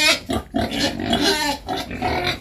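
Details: Rough, nasal grunts and squeals in a close, continuous run from two home-raised wild boars nearly a year old, bathing and seemingly hungry.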